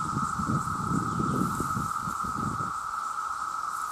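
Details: A vast chorus of male cicadas calling for mates keeps up a constant shrill droning buzz, with leafy rustling and low rumbling for the first few seconds before quieting.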